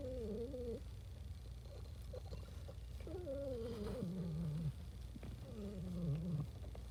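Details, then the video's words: Contented house cat giving noises of happiness: three wavering trilled murmurs, each about a second long, sliding slightly downward, over a steady low background hum indoors. "my cat makes noises of happiness"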